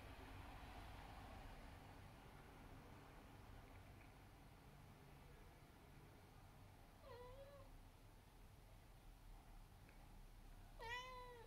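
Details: Abyssinian cat giving two harmonic-rich meows, the first rising then dipping, the second sharper and louder near the end, over a constant low hum.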